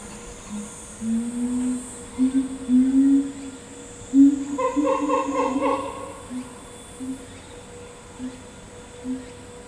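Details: Chimpanzee of Ryu's family troop, which includes the boss Ryu, his father Charlie, son Riki and twin girls. Low hoots climb gradually in pitch, build to a brief loud harmonic burst of calls, then taper into spaced soft hoots.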